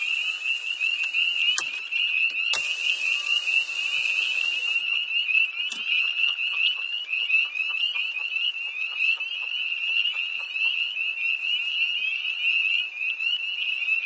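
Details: Chorus of tree frogs by a pond near Hillsborough, North Carolina, on a cold early-March night in 2011, heard from a car: shrill, high peeps pulsing without pause, with loud hissing noise over the first five seconds.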